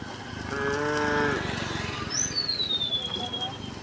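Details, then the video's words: A tame cow on a quiet country road gives one short harmonic moo that fades after about a second, followed by a thin descending whistle-like sound and steady background rustle. "the sound of the cows mooing, echoing along the road"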